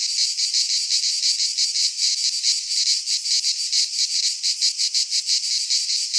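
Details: Cicadas singing in midsummer in a Greek pine forest: a dense, unbroken high-pitched buzzing chorus with a rapid rhythmic pulse, swelling and easing slightly in waves; no other sounds stand out.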